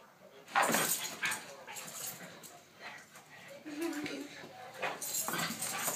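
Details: Several Weimaraners give sharp, scattered barks and yips, with a brief whine and human voices nearby.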